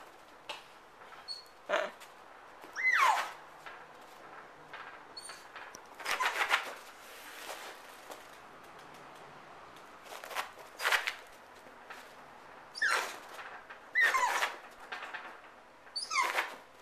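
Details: A happy Dachshund chasing light around a Los Angeles office lets out short, sharp barks and yelps in irregular bursts, a few ending in a brief rising whine, over a quiet indoor hum.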